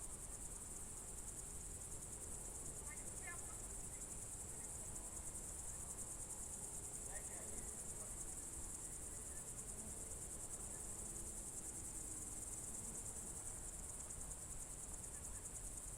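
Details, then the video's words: Crickets on a June 2023 evening in the Novye Buregi tract, Novgorod Oblast, Russia: a steady, high, shimmering trill runs unbroken throughout, with a few faint, brief chirps from other creatures in the background. "Звуки природы , сверчки"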